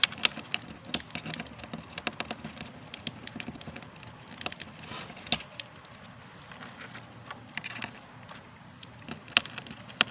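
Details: Hamster nibbling dry seeds held in its hands while eating a meal: sharp, dry cracks and crunches come in irregular bursts, several per second, some louder snaps standing out over a soft steady background hiss.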